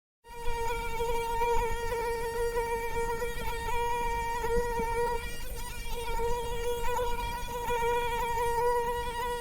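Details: Mosquito buzzing as a steady, thin, whining drone held at one pitch with a rich overtone series, continuous for the whole stretch.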